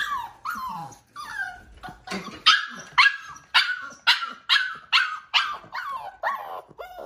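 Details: Five-week-old female Siberian Husky foster puppy, unhappy at being brought in for dinner while siblings eat, gives a rapid run of high, falling howling yelps, roughly two each second, wanting back outside.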